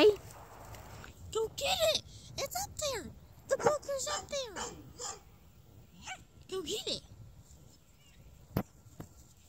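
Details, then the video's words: Dachshund on a squirrel hunt, giving bursts of short, sharp yelping whines that arch up and fall back, clustered in quick runs separated by brief pauses, with a single sharp knock near the end. "Doxie squirrel hunt"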